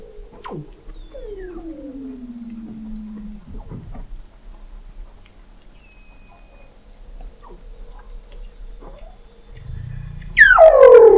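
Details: Weddell seals under thick sea ice in McMurdo Sound, Antarctica, recorded November 2017 by the McMurdo Oceanographic Observatory 21 m below the ice: a sharp descending whistle, a long gliding downward sweep, scattered chirps, then a loud steep descending call at the end.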